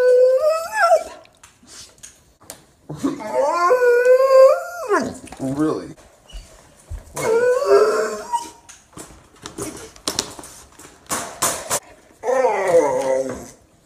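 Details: A Bernese Mountain Dog puppy gives long, tonal howls and moaning groans that bend up and down in pitch, in uneven speech-like spells, the same noises it makes every morning.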